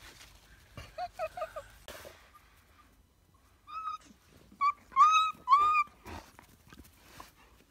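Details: Briard whimpering: a quick burst of four short yelps, a pause, then several drawn-out, clear whines that bend upward and down, ending in a faint trailing whimper.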